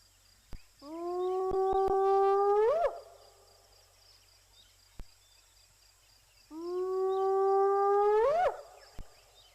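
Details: On the Djuma Cam at sunrise on January 10, a hyena gives two long, low, steady whoops about six seconds apart, each ending in a sharp upward swoop, with faint clicks in the background.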